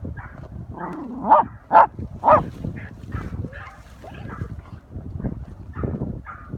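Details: Terriers barking at an armadillo found in a hole during a 10-week-old Patterdale puppy's first hunt with older Patterdales: three quick loud barks in the first half, followed by rustling, digging and faint yips.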